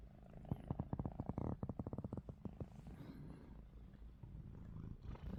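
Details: Ruby, a pet cat, snoring with her eyes open indoors: a run of rapid, evenly spaced low pulses with bright harmonics for about two seconds, then softer rumbling breaths.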